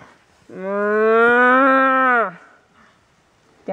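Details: A herded cow gives a single sustained moo of nearly two seconds, gently rising then dropping as it ends, followed by quiet and the start of another call.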